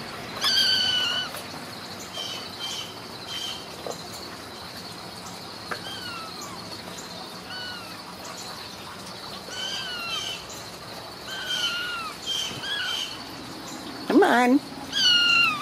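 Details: Ragdoll kittens raised uncaged in a home cattery in central Kansas give thin, high, downward-sliding mews, several overlapping from different kittens, with a woman's coaxing voice in the background.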